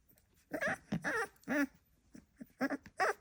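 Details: Staffordshire Bull Terrier puppy gives a handful of short, rough grunting barks and squeaky noises, five or six bursts over three seconds, indoors with little else heard.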